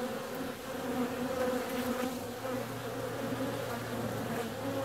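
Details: Bees out flying on a warm February day, giving a steady droning buzz with layered humming tones; a low, even hum joins underneath from about halfway through.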